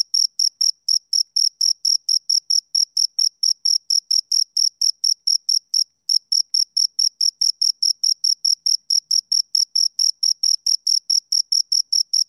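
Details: Two crickets chirping in a steady stream of high, shrill pulses, about four per second, with one brief pause near the middle; nothing else audible.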